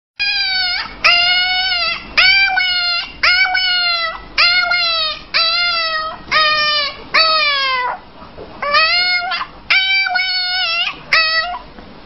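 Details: Puppy screaming: about a dozen loud, harmonic, wavering cries in a steady series, each about half a second long and dipping slightly in pitch, separated by short gaps, with no other clear sounds.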